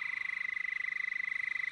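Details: At a breeding pond in Bastrop County, Texas, released head-started male Houston toads give their mating call at night: a high, steady, finely pulsed trill to attract females. The species is endangered.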